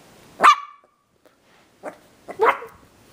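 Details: Havanese puppy, a playful and adventurous young male born in December 2012, indoors: a sharp bark near half a second, then two shorter, softer yips about a second apart, with quiet gaps between.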